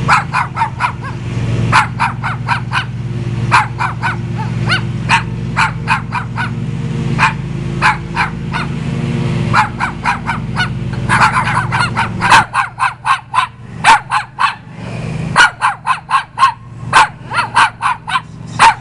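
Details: A dog on a visit barks persistently for nearly twenty seconds, sharp barks coming in quick irregular runs, at first over a low steady hum that later drops away.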